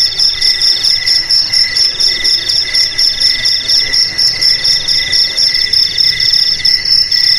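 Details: Jangkrik (cricket) chorus meant to drive rats away from houses and fields: a continuous shrill ringing with rapid pulsed trills, plus lower chirps repeating roughly twice a second, several insects overlapping without pause.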